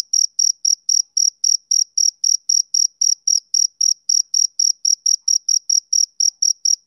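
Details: On a summer evening a male cricket keeps up rhythmic chirping: short, sharp, high-pitched bursts repeated several times a second at an even pace, steady in pitch, against a quiet background.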